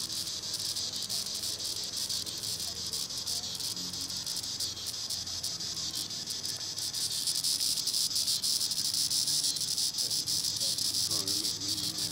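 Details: Continuous shrill buzz of a green annual cicada, Tibicen linnei, high in the treetops, throbbing evenly and growing slightly louder, with a brief bird note near the end.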